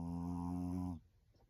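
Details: A sleeping Maltese dog snores: one droning, buzzy, low-pitched breath with a rich vibrating tone lasts about a second, then fades into quiet.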